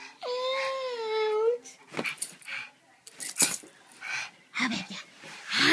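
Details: Sugar, a female pug, playing indoors while being coaxed to go outside: one drawn-out, moaning whine of about a second and a half, steady then sliding upward at the end, followed by people talking and scuffling sounds.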